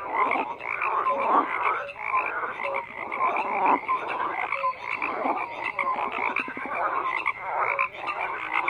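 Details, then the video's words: Steady frog chorus of rough, rattling croaks layered over one another, with scattered short whistled notes, continuous throughout with no gaps. "FROGS CROAKING"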